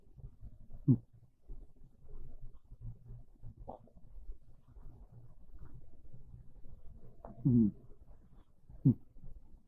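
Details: Domestic cat Monta asleep on a bed in the early afternoon of a cold, rainy day, snoring gently; soft low rumbling breaths with a few louder, rough snores at irregular gaps of one to four seconds in a quiet room.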